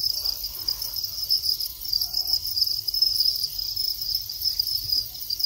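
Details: Captive Thai crickets in the mating stage, males chirping: a sustained, high, rapidly pulsed trill that holds steady with slight swells in loudness, and a low background hum beneath.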